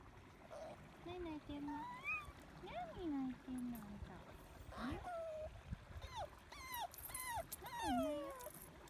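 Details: A Toy Poodle, one of three sisters peering nervously yet curiously into a roadside gutter of water, gives anxious, puppy-like high whines that slide up and down in short bursts; a woman speaks softly and water trickles.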